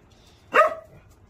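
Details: A dog gives one sharp, loud bark, brief and harmonic, rising then quickly fading, against a quiet background with a faint low hum.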